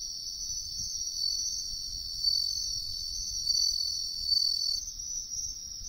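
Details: Bell cricket in the wild, riverbank woods: continuous shrill high-pitched ringing that holds steady for several seconds, then shifts slightly in tone near the end; soft low background noise.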